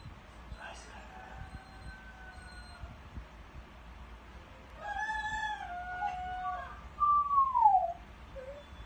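A dog gives long, drawn-out howls that end in a falling, rooster-like crow.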